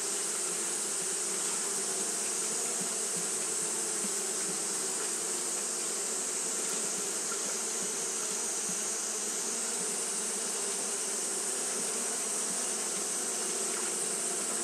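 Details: Hot-day fanning by Japanese honey bees: a constant, gently pulsing low drone beneath a steady high-pitched hiss, holding the same level from start to finish.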